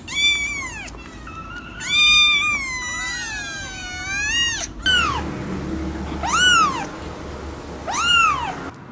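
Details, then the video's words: Kitten meows for an ASMR recording: a run of long, wavering, overlapping cries in the first half, then three separate arched meows spaced about a second apart over faint background hum. "10-minute ASMR Meow"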